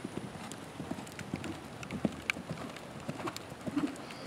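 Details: Young Lusitano Westphalian stallion, seven years old, schooled in dressage changes and early passage; steady, regular clip-clop of hooves on soft footing, with light scattered clicks between strides.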